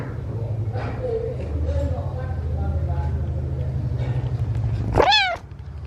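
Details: Rescued kitten at feeding time giving one sharp, high, arched meow with bright stacked harmonics near the end, after quiet chewing and a steady low hum.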